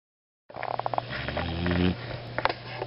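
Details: Kinnick, a sleeping Beagle, snores after half a second of silence: a run of short rasping snorts, then one longer droning inhale with a steady buzzy tone, and a few softer snuffles near the end over a low constant hum.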